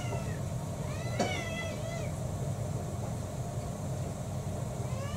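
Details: Pet mixed-breed house cat, one of six, at mealtime during a day's breakfast-to-dinner feeding in April 2024. Short meow at the start, a longer wavering meow with a sharp tap in the middle, and another meow beginning at the end. Constant low background rumble.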